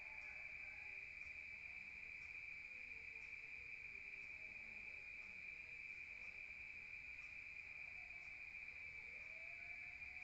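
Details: Rural crickets at night keep up an unbroken, even high-pitched trill that never pauses across the stretch, with a faint upper overtone and quiet background hiss.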